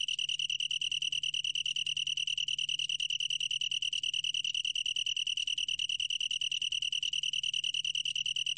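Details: Long-tailed tree cricket, a 2020 recording from the National Institute of Biological Resources: a clear, steady high trill of pulsed chirps, about three pulses a second, with bright overtones and very regular rhythm; a faint low hum lies beneath.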